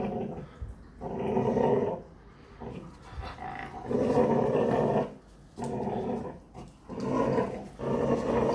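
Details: Perro de presa canario growling while exercising in the morning. Four long, throaty growl bouts over about eight seconds, each rising to full strength, then dropping off before the next begins.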